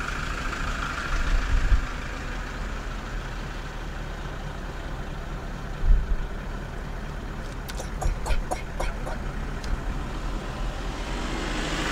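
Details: No animal voice, only the steady low rumble of an idling vehicle engine with a few brief clicks.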